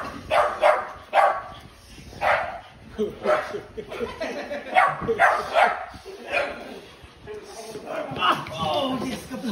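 A French Bulldog barks in short, repeated bursts while protecting its handler, with a person shouting.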